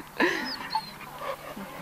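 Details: A dog at an obligatory dog-training school in Switzerland, still very excited, gives a brief high whimpering squeal that slides up and down, followed by softer whines and panting in a short indoor-sounding moment.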